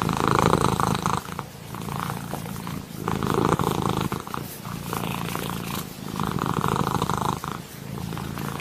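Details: A kitten's smooth, steady purr: a deep buzzing rumble in alternating louder and softer breath phases, with stronger surges near the start, middle and end, and nothing else clearly heard.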